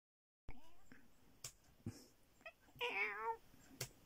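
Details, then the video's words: Pet cat giving one wavering, slightly quavering meow of about half a second, with a harmonic tone that wobbles up and down. Scattered sharp clicks and soft taps come before and after it in a quiet room. "my cat Bear meow"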